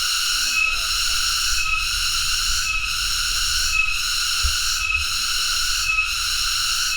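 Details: Cicada (tonggeret) drones in a loud, continuous, shrill buzz with stacked high tones. It dips briefly about once per second, giving a steady pulsing rhythm, with a faint low rumble underneath.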